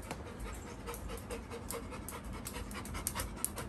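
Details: Little John, a Labrador Retriever puppy, pants in quick breathy bursts, a steady rhythmic huffing that carries through the whole stretch with a few sharper clicks near the end.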